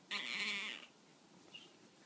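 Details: Tonkinese cat answering when called while lying down: a single loud, nasal, bleating meow lasting under a second, held level then fading, followed by quiet.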